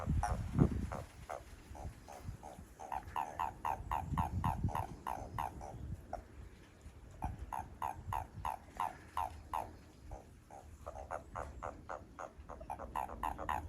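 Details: Japanese toads calling behind a home as the frogs grow lively. A rapid, uneven run of short pulsed croaks from several callers, roughly three per second, over low rumbling background noise.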